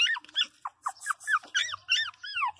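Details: Pinscher puppy crying: quick bursts of high, squeaky arched yelps and whines, several per second, after a woman's Portuguese speech, with faint low hum.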